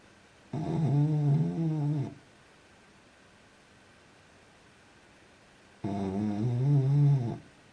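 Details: French Bulldog snoring while asleep: two loud, rasping, rattling snores, each about one and a half seconds long, separated by roughly four seconds of quiet breathing.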